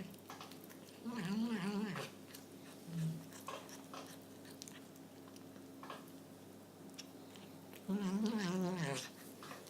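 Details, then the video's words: Cat making a funny noise indoors; two drawn-out, wavering low moaning calls, each about a second long, with a short low note between them and faint background noise. "Cat Funny Noise"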